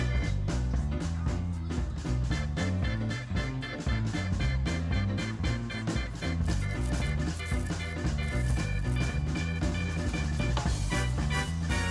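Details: Upbeat swing-style music with a steady driving beat, bass line and bright horn-like tones throughout, with no animal sounds.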